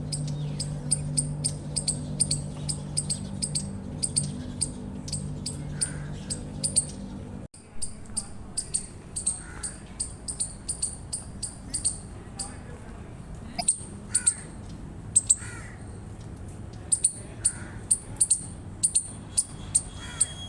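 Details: Eastern chipmunk chirping: sharp, very high chips repeated about three times a second in an uneven run, over a steady low hum that stops partway through, with soft lower calls heard now and then.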